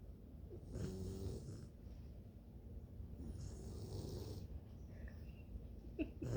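Sleeping Bluetick Coonhound puppies snore in low, rumbling, rhythmic breaths.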